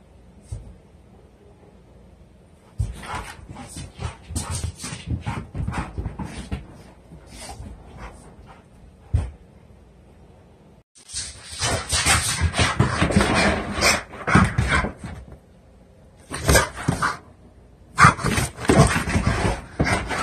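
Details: A one-year-old blue pit bull weighing 90 lbs vocalizes indoors when needing to defecate: bursts of breathy, whining grumbles and huffs in clustered runs, separated by quieter pauses.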